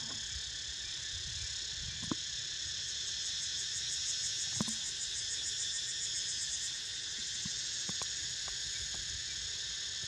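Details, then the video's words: Cicada chorus while Niko snoozes, a sustained shrill buzz that turns briefly pulsing and throbbing in its highest layer midway, with a few sharp clicks and taps scattered over the drone. "Snoozing To The Sound Of CICADAS"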